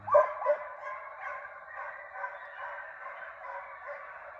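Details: Young deer hounds in training inside a fox pen, a pack baying together in a steady continuous chorus after one louder opening bark.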